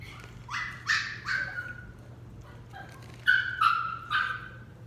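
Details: Dixie, a West Highland White Terrier puppy in training, gives five short high whining yips in under five seconds, each tone sliding slightly downward, set over a steady low electrical hum.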